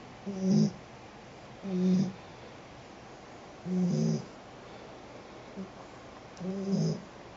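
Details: Pet cat Sheeta asleep and snoring: five low, grating snores in a regular rhythm, each lasting under a second with quiet breathing gaps, indoors and otherwise silent.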